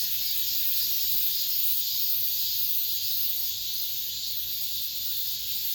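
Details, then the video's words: Cicada chorus ringing through an apartment complex at summer's end, a continuous piercing electric hiss that holds level throughout, thick with overlapping high buzzing. "올 여름 마지막 매미소리"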